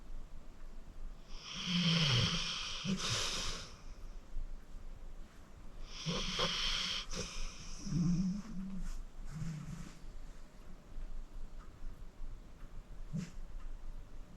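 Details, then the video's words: Sleeping senior pit bull Acorn, aged 14 and adopted from the Cuyahoga County Animal Shelter, snoring away: several rough, buzzing snores with low throaty rumbles and wheezy snorts, spaced a few seconds apart, fading to softer breaths. "Acorn Sleeping - Relax with a Snoring Senior Dog"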